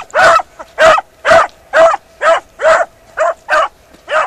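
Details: Beagle Harrier in a ploughed field barking steadily, nine full-throated ringing barks roughly every half second with no other sounds.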